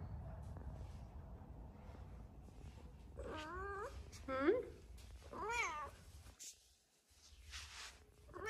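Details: Luna, a three-legged Siamese cat, gives three short, wavering meows in quick succession while climbing her stairs, with a woman speaking softly.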